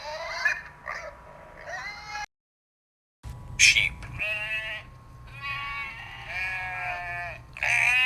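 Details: Farm sheep bleating: wavering, harmonic-rich bleats in a few bursts, broken by a short silent gap, then longer quavering calls, one after another, over a steady low hum.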